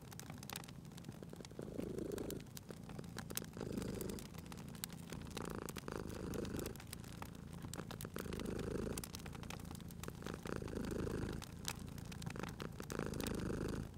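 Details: Domestic cat purring in its sleep at a crackling fireplace, cozy spring setting: a soft, throaty rumble pulsing in regular breath cycles, about five or six swells across the stretch, with scattered sharp crackles of burning logs.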